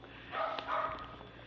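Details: A three-year-old male Pomeranian/Maltese mix dog gives two short, tonal yapping barks about half a second apart, with faint indoor background noise.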